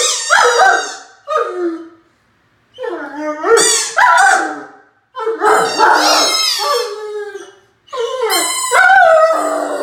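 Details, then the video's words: Nine-month-old Great Dane Mikey, a male, howls at himself in the mirror during ball play: four loud, wavering howls separated by short silences, each breaking into sliding, quavering yelps that drop in pitch at the end. "Funny Great Dane howls at himself in the mirror"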